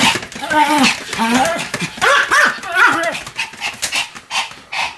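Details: Pomeranian in high-speed spinning, about 175 turns, with yelping, whining barks that slide up and down in pitch, densely repeated, softer toward the end.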